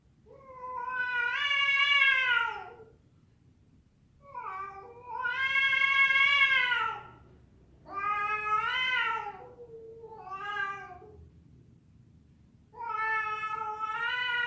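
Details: Fighting cats, a female calling a male: five separate drawn-out yowls over fourteen seconds, each swelling and bending in pitch, some longer, one short, with a low steady hum beneath.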